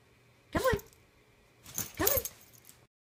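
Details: Bulldog puppy giving two short, high whimpering yelps about a second and a half apart, each bending downward in pitch, against a quiet indoor background.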